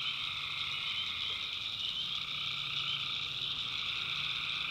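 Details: In the North Carolina backwoods at night, many tree frogs call together, their high buzzing trills merging into one steady, even drone.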